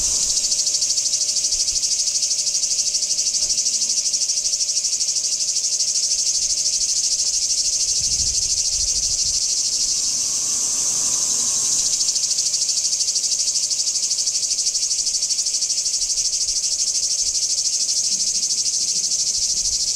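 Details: Singing cicadas at Kardamyli, 2013, producing a steady high rasping drone for the whole stretch, rapid and uniform, with slight low background noise.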